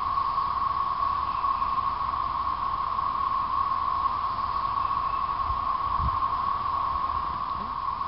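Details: Periodical cicadas, thirteen-year emergence, chorusing in 2011 between late April and end of May: a dense, unbroken droning whine held at one steady pitch, with a few faint low thumps near the end.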